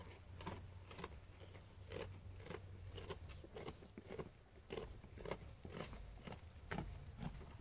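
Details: Sheep eating food indoors, steady crunchy biting and chewing repeated roughly twice a second, with a low hum underneath.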